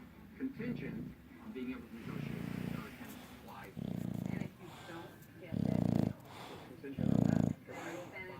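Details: Levi, an English Bulldog, sleeps and snores with low, buzzing breaths that start soft and grow louder, the last two the strongest. Television voices carry on quietly in the background between snores.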